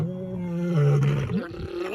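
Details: Lion giving a low, steady, droning roar that holds its pitch, then dips and breaks into rough, grunting pulses.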